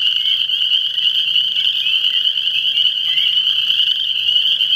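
A dense chorus of frogs keeps up a continuous high, buzzing trill with no pause. Individual voices blur together into one shimmering wall of sound.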